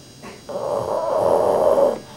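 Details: Sleeping dog named Rudy gives a faint short breath, then one long, rough, droning snore of about a second and a half that grows slightly louder before cutting off into room quiet.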